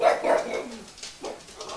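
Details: A fox gives short, hoarse barks overnight, two brief bursts separated by a pause.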